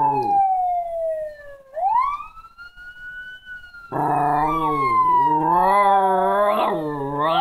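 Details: Tuco, a pet Jack Chi, howls in response to a siren. A brief howl opens, then a long, strong, quavering howl with rising and falling pitch joins a steady siren that sweeps up and slowly glides down.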